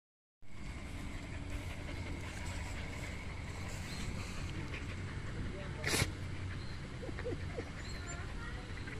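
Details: A roughly two-year-old Golden Retriever x Samoyed cross gives a single abrupt, sharp, breathy sneeze over a constant low rumble, with faint voices in the room.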